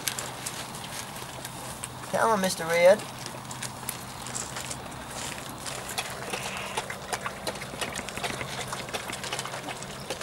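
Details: Weimaraner x Vizsla puppy from Biscuit's litter, three to four weeks old, at the discovery stage: one short harmonic whine near the two-second mark, rising then wavering, with quiet rustling and light clicks around it.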